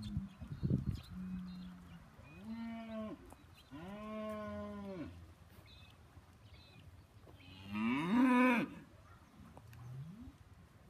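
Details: Hereford steers in a group of 56, lowing in drawn-out moos with bending pitch, several calls spaced through the recording, one louder and harsher near the end, over low background noise.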